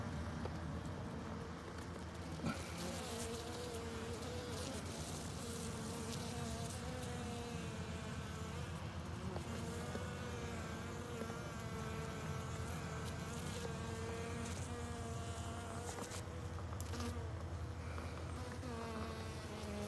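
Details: Honey bees massing against a bald-faced hornet, strength in numbers against a bigger bully; a steady, droning buzz with several wavering, slowly gliding tones running the full twenty seconds over a low background hum.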